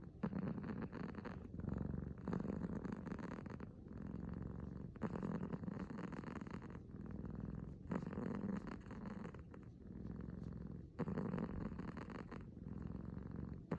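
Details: Low rattling purr from a six-month-old male kitten named Uiro, just awake, coming in long rumbling bursts separated by short pauses, each surge swelling and fading with his breathing.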